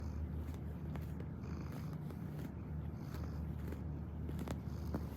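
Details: Domestic cat purring while kneading, a steady low rumbling purr that runs unbroken through the whole stretch, with faint soft clicks and rustles on top.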